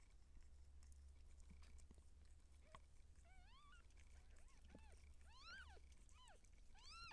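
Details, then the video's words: Seal point Siamese cat in labour while kittens are born: a quick series of short, arching meows, louder and closer together toward the end, over a low background hum. "Cat Giving Birth Siamese SealPoint MAH010 Feline Labor بسة سيامي اثناء الولادة"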